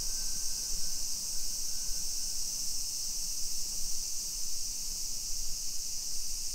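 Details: A chorus of summer cicadas makes a steady, high, hissing drone over low rumbling outdoor noise on a suburban street in Nisshin, near Nagoya, Aichi, Japan, at 2 PM on 28 July 2021.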